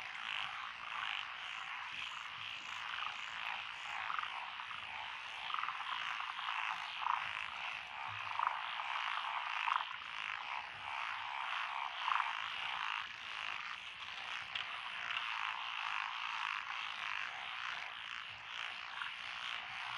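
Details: Countryside rice-paddy frog chorus among lotus in Echizen, Fukui, Japan, June 12, 2021, with tree frogs and wrinkled frogs: an unbroken, even wall of rattling croaks and a handful of slightly louder calls midway.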